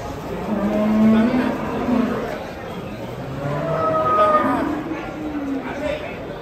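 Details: Agitated Pegon cattle being taken off a truck: a low, flat moo early on, then fainter lowing while people talk nearby.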